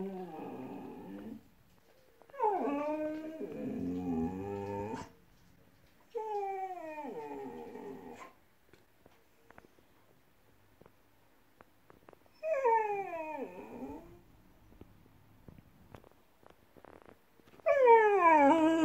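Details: Indoor Siberian Husky giving expressive whining vocalizations. Five bursts of varying length slide downward in pitch, with strained, whimpering, moan-like tones. Quiet gaps separate the bursts.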